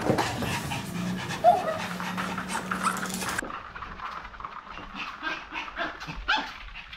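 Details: Maltese dogs racing about happily after a bath, a family of three; quick rhythmic panting breaths, a low steady hum in the first half, then quieter broken breathing and shuffling.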